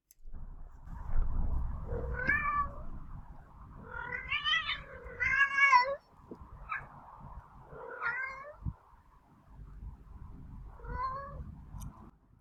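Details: Male domestic cat, formerly injured and now recovered, yowling at a spayed female who is not interested while also spray marking; loud drawn-out wavering howls with rising and falling harmonics, repeated in bursts about every two seconds, over low background rumble.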